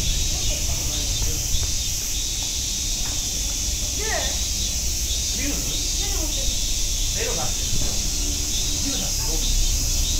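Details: Continuous high-pitched cicada buzz recorded at Nogeyama Zoo, an even shimmering hiss without pauses, overlaid by scattered human voices with rising inflections in the background.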